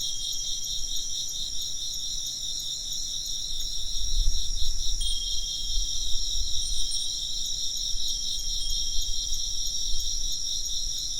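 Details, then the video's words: A continuous chorus of chirping insects, high and pulsing in rapid beats, keeps up throughout; a soft wind chime tone enters midway and a low rumble swells in the background. "風鈴の音と虫の声 - wind chimes and chirping insects"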